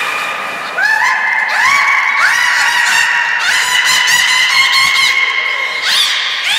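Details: Beluga named Nana during a training session at Port of Nagoya Public Aquarium, 13 April 2019. Steady, nasal, horn-like tones rise into sustained harmonic whistles, with crackling pulsed bursts layered on top. The calling runs almost without a break.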